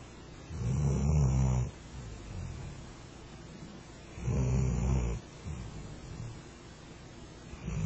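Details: Sleeping Flat-coated Retriever dozing under a kotatsu gives loud, rasping low snores lasting over a second, with softer breaths between them and another snore starting at the end.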